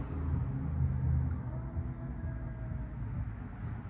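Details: Only a low, steady rumble like a passing vehicle or indoor hum is heard, with no animal calls.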